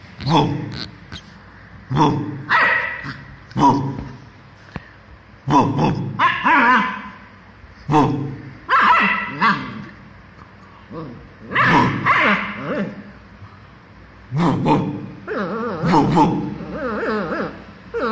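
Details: Two-month-old German Shepherd puppy barking while playing: short sharp barks and yips come in irregular bursts every one to two seconds, with a voice speaking in between.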